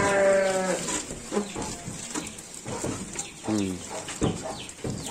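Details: Garut sheep bleating while being given supplementary feed. A loud, harmonic, wavering bleat opens, lasting under a second, and a second bleat follows about three seconds later. Rustling, chewing and clicking noises fill the gaps between.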